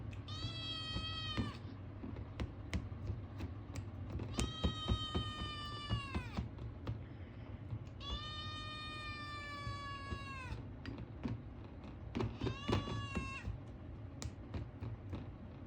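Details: Hungry male Ragamuffin kitten, born 9 March 2022, repeatedly asking for food: four long, steady, slightly falling meows, each one to two and a half seconds, separated by pauses full of quick clicking taps.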